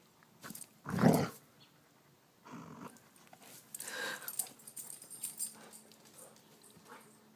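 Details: Bearded Collie, a Scottish herding breed, indoors in a small room: one short low growl-like vocalisation, then breathy snuffling and faint rustling, with a person's voice nearby.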